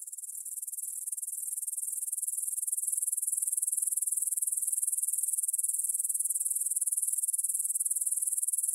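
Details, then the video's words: Evening chorus of grasshoppers in a field by the Svensky monastery, Bryansk, Russia, 9 pm, 6 September 2020, Tascam DR-44WL stereo; continuous very high, fizzing trill that grows slightly louder and stays unbroken throughout. "кузнечики на лугу – Grasshopper Sounds in the Field"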